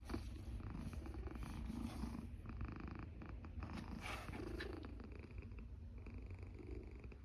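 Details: Sleeping cat snoring with a deep, steady low rumble that swells and eases, with a few faint higher rustles over the drone.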